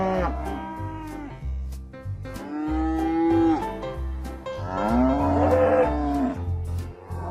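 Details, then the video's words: Cattle give two or three drawn-out moos, one ending in a sustained tone and another rising sharply. Background music with a repeating low beat plays throughout. "SOM DOS BOIS"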